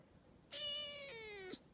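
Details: Rescued calico kitten, about two months old, indoors and talking. One clear, drawn-out meow lasts about a second. It holds a steady pitch, then slides lower and ends with a short upturn. A person speaks Arabic softly around it.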